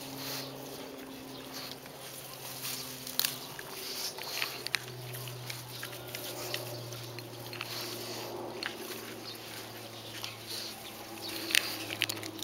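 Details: Two pugs eating grass outdoors, munching and smacking loudly; irregular crunchy chewing clicks and tearing sounds run through, with a steady low hum beneath.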